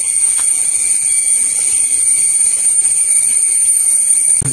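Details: A steady high electronic whine over faint background hiss, with no animal voice. A soft knock sounds at the very end.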